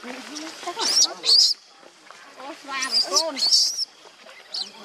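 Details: Baby monkey crying in shrill, high squealing bursts, some arching harmonic wails in between, over about five seconds, with people talking close by.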